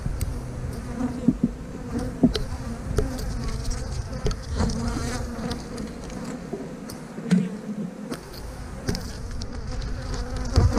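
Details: Honey bees buzzing around an opened hive as a beekeeper moves frames, with the bees said to be swarming on him; a steady low hum with harmonic bands, broken by sharp knocks and clicks of handled equipment.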